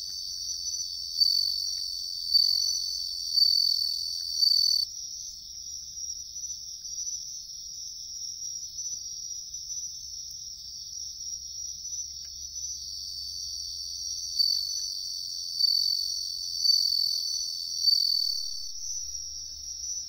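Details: Wild bell cricket singing in riverside woodland during an insect hunt: bright, high, bell-like pulsed phrases swelling and repeating about once a second, then a quieter steady trill before the ringing phrases return.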